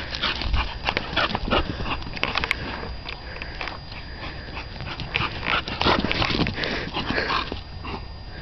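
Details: Playing dog in its yard, named West Wind's Whose Your Daddy and called Titan; rapid, uneven volleys of short yips and barks, roughly three per second, continue throughout.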